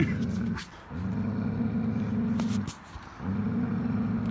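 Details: Jealous German Shepherd, growling and unwilling to share a toy with a big Pitbull during tug of war: steady low rumbling growls in three sustained stretches separated by short breaths, light background noise.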